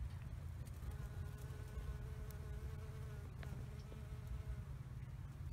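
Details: Honey bees foraging on freshly blooming wild rosemary in a bee yard; a soft, continuous low droning buzz with faint humming overtones rising and fading, under quiet background hiss.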